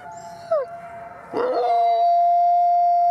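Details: About 50 gray wolves, including Canadian/Rocky Mountain, Mexican and red wolves, at a wolf conservation center in South Salem, New York, howl together in long steady tones joined by sliding voices that rise and fall.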